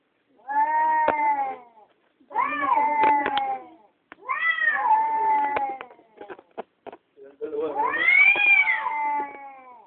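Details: Two domestic cats quarrelling on the night of the June 16, 2011 lunar eclipse, caught on a phone: four drawn-out, whining yowls, each one to two seconds long with bending pitch, separated by short pauses and a few sharp clicks.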